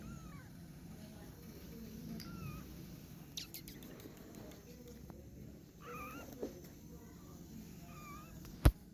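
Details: Kittens at the climbing stage give several faint, high, bending mews spread across the recording, with scattered clicks, bumps and a constant low background hum.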